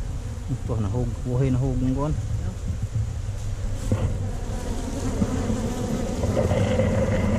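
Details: Honey bees in a tree-trunk cavity hive hum during harvesting, recorded on a GoPro Hero5 Black; a man's wavering voice opens, then a steady, thick buzzing drone carries on with light knocks.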